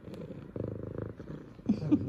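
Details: Pet female F2 Savannah cat greeting her owners after work indoors, rhythmic pulsing purr ending in a few short chirped trills.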